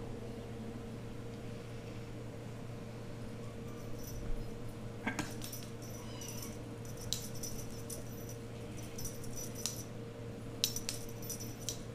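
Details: A steady electrical hum fills a quiet indoor room, broken only by scattered light clicks and soft rattling handling noises, with no animal voices.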